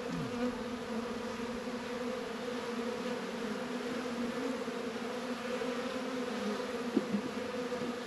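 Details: Northern Kentucky apiary in February at 72 degrees, honey bees busy around a langstroth and warre hive; even, sustained hum of the colony, one bee's buzz swooping past near seven seconds.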